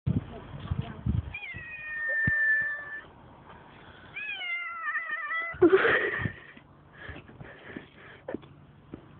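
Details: A cat on a roadside screaming at people walking past, recorded on a phone: two long, wavering meows with a steady pitch that sags slightly at the end. Rustling, handling noise and a burst of clatter between and after the calls.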